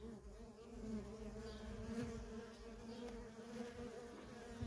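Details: Busy traffic of worker honey bees at a feral colony. A dense, even buzzing hum with clear overtone bands runs through the whole clip, swelling gently in places.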